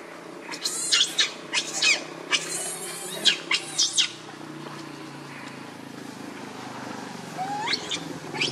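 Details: Hungry baby monkey Leo crying to its mother for milk; a run of sharp, high screeches packed into the first four seconds, then quieter background with a single rising squeal near the end.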